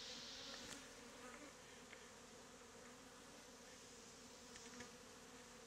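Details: Swarm of honey bees, mostly Africanized, worn as a bee beard in the heat after being removed from a statue; a soft continuous hum with faint clicks and brief higher whines.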